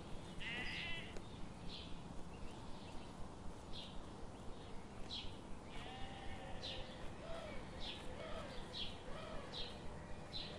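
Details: A flock of sheep grazing among forest trees in the morning: short tremulous bleats recur every second or two, one longer quavering cry near the start, over a constant low hum.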